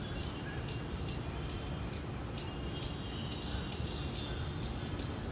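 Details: Short, sharp high-pitched chips from an Indian palm squirrel, given in a quick, slightly uneven series of about two per second over steady low hiss.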